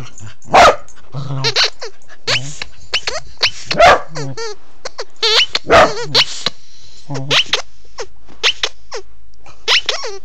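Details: Pembroke Welsh Corgi under a bed barking: several loud, sharp single barks spaced a second or two apart, mixed with people talking and laughing close by.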